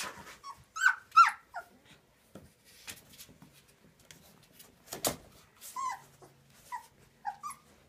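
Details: Litter of Transylvanian Hound puppies at 19 days old, with bright squealing whimpers early on, then softer scattered whines and squeaks separated by rustles and taps.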